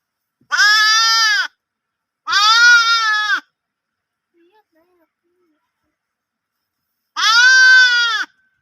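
A lamb gives three loud, wavering bleats, each about a second long, with pauses between.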